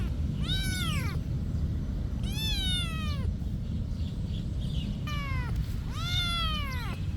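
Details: Monastery cat uttering four meows, each drawn out and bending downward at the close, spaced about a second or two apart against heavy low-frequency background noise.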